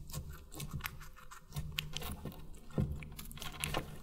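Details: Guinea pig munching watermelon for an ASMR mukbang, recorded up close: wet crunches and sharp snapping bites at irregular intervals, a louder crunch near the end, and a soft low hum in the background.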